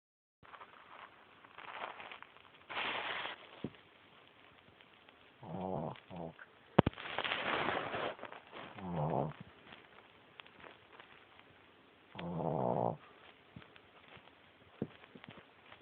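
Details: A female Boston Terrier puppy snores in rough, rattling breaths every two to three seconds while sleeping under the covers on a person's foot, loud enough to be heard over the TV.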